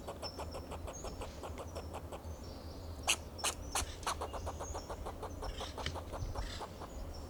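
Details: A fox squirrel in a Monterey pine in Del Monte Forest, California, gives sharp, raspy barking alarm calls, roughly three a second, in defence of itself and its territory; faint high bird chirps and distant traffic rumble behind.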